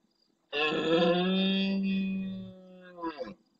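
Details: Near the camera in Doñana's marshland at El Rocío, Huelva, Spain, a big male red deer roars intensely at the start of night, replying to far-off stags. One deep, rich, drawn-out groan of nearly two seconds, fading lower, then a short rough grunt.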